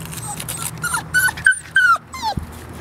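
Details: Airedale terrier puppies playing indoors; a series of thin, high whines and squeaky yelps, several sliding downward in pitch, over a steady low hum and a soft human voice.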